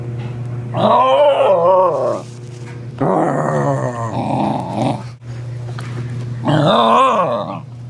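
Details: A female Pembroke Welsh Corgi makes her typical "corgi noises", grumbling and growling in wavering, talkative bursts with short pauses between, excited by her owner's behaviour with the camera.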